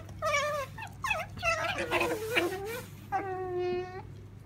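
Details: Pet female otter kept indoors, calling out of eagerness for jerky: a run of whiny, wavering harmonic squeals that rise and fall, several in quick succession, then one steady drawn-out whine near the end, over a low steady background hum.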